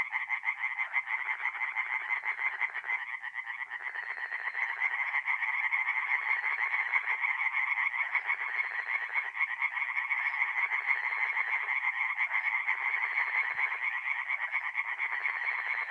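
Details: Tree frogs calling by night at a forest pond in north-east Italy, mid-April; continuous thick chorus of fast repeated croaking pulses from many frogs, swelling and easing in waves, nothing else heard.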